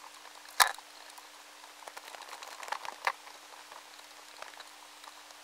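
An Indian meal moth caterpillar weaving silk: faint, irregular dry ticks and crackles, with one sharper click.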